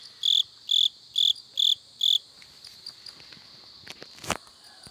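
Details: In the back yard of a hometown house where toads can also be heard, a cricket gives a run of five clear, high chirps about half a second apart, then falls quiet.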